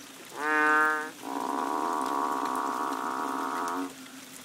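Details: A banded bullfrog chorus during March rains on Koh Lanta, Thailand: a brief rich harmonic note followed by a long, steady, cow-like lowing call lasting nearly three seconds.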